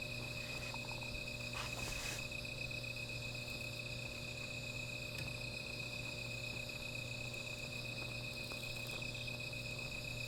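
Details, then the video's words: Insects calling at night beside a small fire: a steady, high, ringing trill holds without pause, with a fainter buzzing layer above it. Scattered soft crackles and snaps from the fire come through, and a low hum runs underneath. "Sound of Insects"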